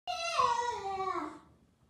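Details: A male Basenji gives a long, loud whine that slides downward, yelling until he gets cuddled.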